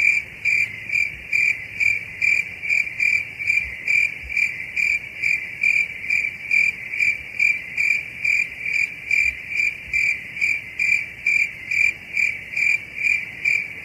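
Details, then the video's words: High ringing cricket chirps pulse rhythmically at roughly two per second above a constant shrill trill, with little else audible. "Sounds of crickets"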